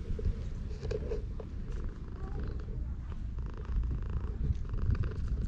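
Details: Stray cat purring while being petted as it sunbathes at a shrine, recorded on a GoPro HERO8. A steady low rumble runs continuously throughout, with faint handling rustles and brief higher clicks above it.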